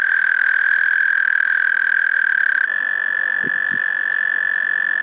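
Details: Small, loud frogs calling from a park pond, making a continuous shrill, piping tone. Partway through the pitch steps slightly higher, and two soft low thumps are heard near the end.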